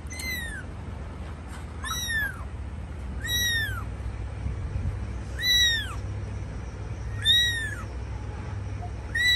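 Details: Domestic cat, a mother caring for her kittens: high, arched mews with rich harmonics, each rising then falling, repeated roughly every one and a half to two seconds over a low steady hum.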